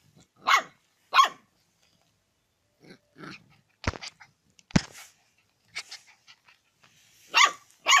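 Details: Barking dog eager to eat chicken: single sharp barks spaced a few seconds apart, with sudden loud clicks or knocks and softer scuffling sounds between them.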